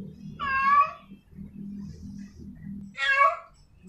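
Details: A female cat in heat calls to a male with two loud, bending meows about two and a half seconds apart. A steady low droning sound runs underneath and between them.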